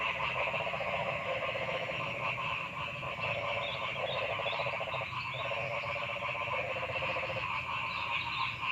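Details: A frog chorus in a forest gives rapid, pulsed croaking trills that repeat steadily over a dense background of calling.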